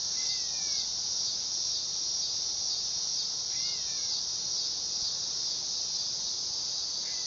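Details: Continuous high, electric-sounding buzz of a dog-day cicada, with soft, descending two-note chirps from a bird in the background now and then.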